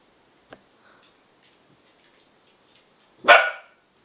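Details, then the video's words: Playful Bedlington Terriers Freddie, 7 months, and Lottie, 10 months, romping together; faint taps and snuffles, then one loud abrupt bark near the end. "Freddie & Lottie the Bedlington Terriers making strange noises whilst playing!"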